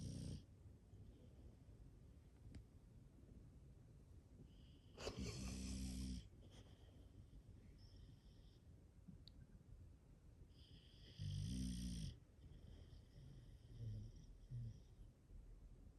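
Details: Deep, noisy snores from an English Bulldog in a household of five bulldogs, two loud rasping breaths about six seconds apart over a low constant background hum, with softer breathing between.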